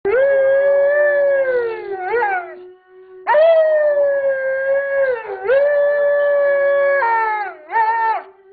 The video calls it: Smokey the Alaskan Malamute Howling